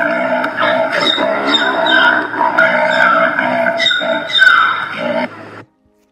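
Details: Zebras calling on the African savanna, a harsh, braying series of harmonic yelps with a big-cat feel, rising and falling in quick uneven bursts for about five seconds before stopping abruptly.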